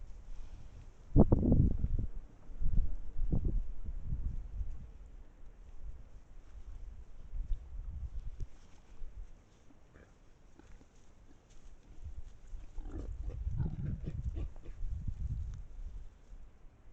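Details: Wild boars in a group, caught on an Estonian trail camera: deep, short grunting bursts early on and again later, separated by quieter stretches of low rumble and rustling.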